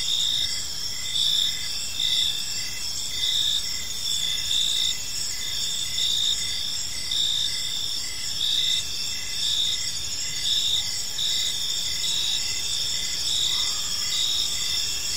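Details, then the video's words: Many crickets chirp together in a park as evening falls, a bright high-pitched ringing chorus with rhythmic pulsed bursts recurring about every second; a faint low tone briefly appears near the end. "Park Serenade: Cricket Sounds in a Peaceful Park | Evening Ambience"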